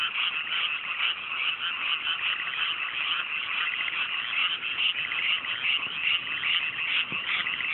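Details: Nighttime frog chorus from freshly planted mountain rice paddies in the Japanese countryside under fine weather; dense overlapping grating croaks form a steady buzzing mass, one brief low thump near the end.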